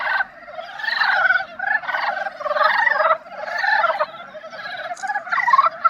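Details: Dybowski's brown frogs giving their love song in the breeding season: a dense chorus of rapid, rattling, chuckling croaks from overlapping callers, swelling and fading in waves roughly every second.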